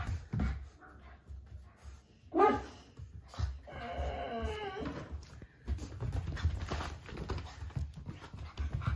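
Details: American Bulldog pups, a white male and a smaller female born August 15th, at indoor playtime: one short sharp whine, then a longer wavering whimper lasting about two seconds, over thumps and rustling from the play.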